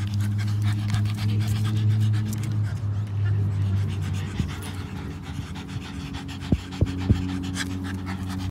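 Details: A happy pug panting: fast rhythmic huffing breaths, low and buzzy, strongest in the first three seconds, then softer with a few sharp clicks near the end.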